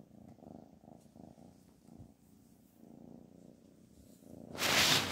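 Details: Low, rhythmic purring from a pet cat for about four seconds, fading in and out, before a sudden loud burst of broadband noise cuts in at the end.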